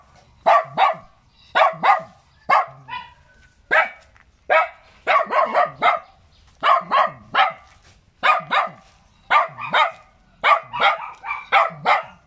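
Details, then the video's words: Little dog barking steadily and excitedly, about one bark a second in an irregular run of doubles and triples, bright sharp yaps with falling tails; faint low background hum. "เสียงหมาเห่า หมาน้อยน่ารัก เห่าดีจัง"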